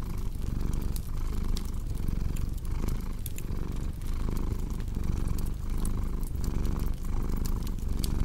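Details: Continuous deep cat purr, rhythmically pulsing with inhale and exhale roughly every second, overlaid by frequent crisp crackles from a wood fire.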